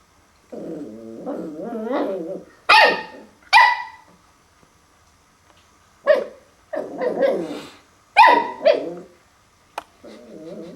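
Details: A puppy discovering a mirror for the first time growls low and drawn-out, then breaks into sharp, irregular barks in short bursts, switching back to a rumbling growl at the end.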